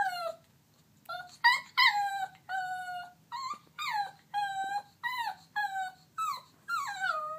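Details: Pet dog whimpering because it badly wants its toy: a steady run of high, whiny, tonal cries, many sliding downward, repeated about every half second to second, with short pauses between them, indoors with no other sounds.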